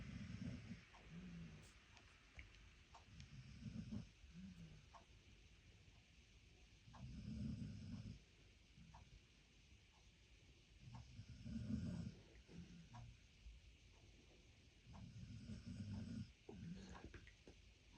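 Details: Boy, an American Staffordshire Terrier, snores in a deep, rough rumble. Breaths swell and fade roughly every four seconds, about five snores in all, in a quiet room.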